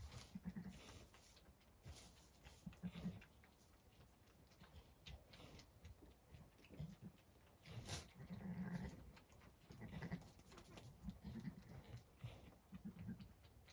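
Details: Zwartbles ewe on a farm in County Kilkenny, Ireland, with newborn twin lambs born in the dead of night: soft, low, throaty murmurs in short bursts, repeated irregularly every one to two seconds, over steady background hiss.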